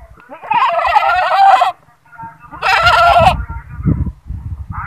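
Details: Goat screaming: two loud, harsh, drawn-out cries, each about a second long, with rough noisy tone, followed by low rumbling handling noise and a brief higher call at the end.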